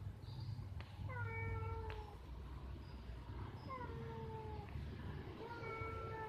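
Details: Cats in a tree while mating, one producing drawn-out, falling, harmonic yowls in short bursts, several spaced a second or two apart, against a constant low background hum.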